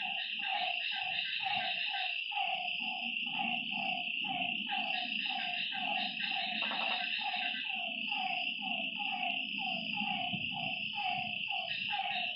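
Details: Frog at a lake at night calling over and over in short falling notes, about two per second, with a loud high insect drone throughout and a low rumbling background.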